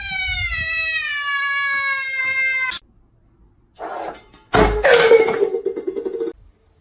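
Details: Domestic cat giving a long, level, drawn-out yowl of nearly three seconds with rich harmonics. It ends abruptly, then comes a burst of clatter and a lower, shorter wavering cry.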